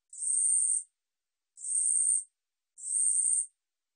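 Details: Three sharp, sizzling buzzes from a 우리여치 katydid, 2020 National Institute of Biological Resources recording. Each lasts about three-quarters of a second, separated by short silent gaps. The background is clean.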